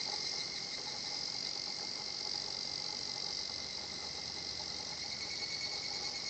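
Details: Higurashi cicadas calling at a peaceful natural site in Japan: a continuous bright, high-pitched trilling shimmer with a fine rapid pulse, holding steady throughout with little else heard.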